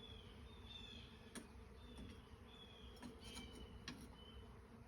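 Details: Honey bees from a hive being extracted from the chimney of an old farmhouse due to be torn down; a dense, steady low buzzing hum fills the clip, with faint higher whines and a few sharp clicks.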